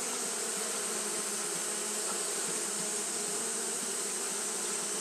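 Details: Japanese honey bees fanning constantly in hot weather: an even, buzzing hum with low rippling bands and a steady high hiss, a brief brighter tick near the middle.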